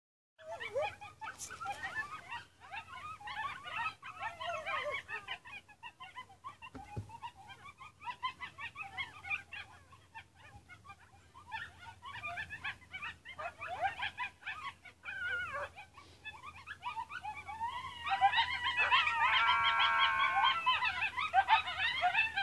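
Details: Coyotes at a gate: a dense, overlapping chorus of short, high, sweeping yips and yelps runs throughout, building near the end into louder, sustained, wavering howl-like cries over a low steady hum.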